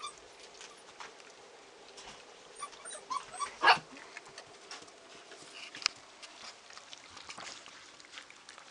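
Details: A Border Collie gives a single sharp bark amid soft whimpers and small household sounds at mealtime.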